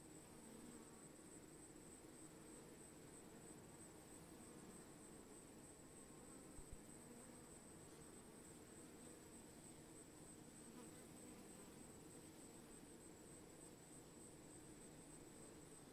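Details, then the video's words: Swarming bees making a steady, dense, low buzzing drone that holds unchanged for the whole stretch, with a faint thin high tone running continuously above it. "Swarming bees"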